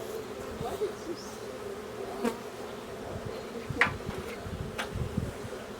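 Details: In April 2021, a honey bee swarm clustered on the side of a building is being boxed. It gives a steady, low, droning hum with a few sharp knocks, and a donkey is hollering nearby.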